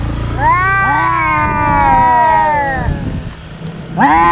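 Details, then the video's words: Fighting cats, two brothers who clash every day: one long, steady wailing howl lasting about two seconds with a second voice overlapping, then a sharp rising cry near the end, over low hum. "Cats Fighting and Meowing"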